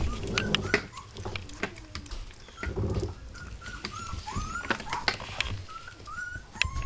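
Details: Rough Collie puppies three weeks old, thin rising and falling whimpers repeated in quick succession, some squeaky and drawn out, mixed with rustling and low murmuring voices nearby.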